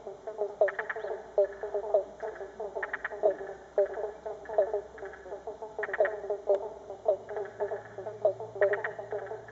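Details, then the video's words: Many frogs call together in a dense chorus of short, repeated croaks and clicking pulses from flooded River Red Gums along the full Murray River in north-west Victoria; Pobblebonk (Banjo Frog) and Spotted Marsh Frog identified. "Frog calls from flooded River Red Gums"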